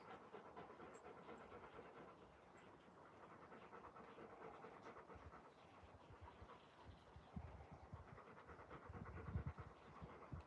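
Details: Alaskan Malamutes Moose and Raven playing outside, Raven out of breath from playing; soft, breathy, noisy panting runs throughout, growing louder and rougher near the end, over steady low background rumble.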